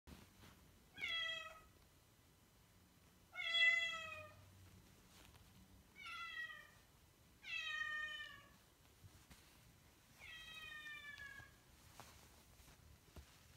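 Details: Female Bengal kitten meowing five times at roughly two-to-three-second intervals, each a clear, slightly falling, drawn-out meow with rich harmonics, in a quiet room.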